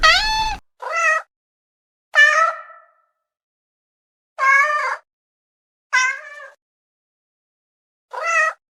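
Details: Six short, uneven cat meows spread over nine seconds, some clipped and some trailing off, with long quiet pauses between them.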